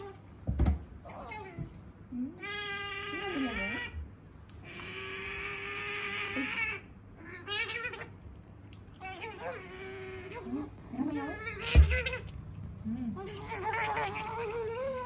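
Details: Sakura, a pet female otter, talks continuously while eating indoors. She makes drawn-out, wavering whines and squeaky cries in bursts of one to two seconds, some rising and falling in pitch, with brief chewing and clatter sounds.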